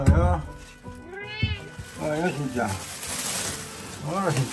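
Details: Black house cat meowing indoors at night, several short arched mews with a rising then falling pitch, one clear call near the middle and another at the end, mixed with a person's speech and background music.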